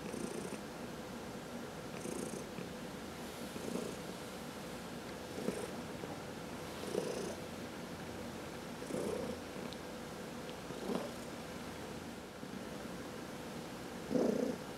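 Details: Quiet indoor purr from a house cat being massaged, one of four pet cats; a soft continuous rumble rising slightly with each breath, about every two seconds, ending in a louder surge.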